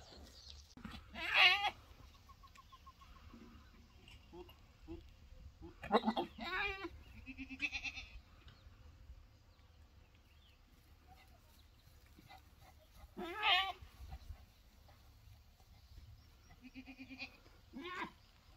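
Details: Boer goat doe on a farm, refusing a Boer buck that has been chasing her for days: four loud, harsh, strained bleats with a wavering tone, each about a second long, spaced several seconds apart, with quiet rustling between.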